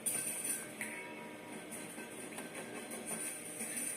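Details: Quiet background music with soft guitar-like tones and a faint high whine, with no animal sound heard.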